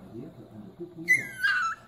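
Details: One of three pet Chihuahuas, Dixie, Milo and Quentin, saying hello with a short, high, whining yelp that slides downward, rich in overtones, following soft low human talk indoors.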